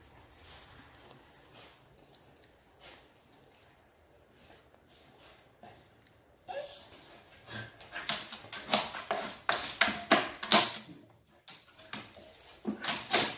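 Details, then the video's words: Siberian Husky during whelping as puppies are born; after a quiet, hissy start, a burst of high, squeaky whimpers and short yelps comes in rapid, irregular succession in the second half, indoors. "Nascono i cuccioli! Il parto nel cane (Siberian Husky)"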